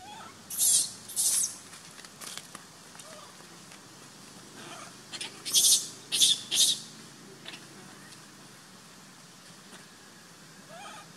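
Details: An abandoned baby monkey named Sovana, in a troop, screaming and crying to be taken back: a handful of harsh, hissing high bursts, some paired close together, between quiet stretches with faint clicks.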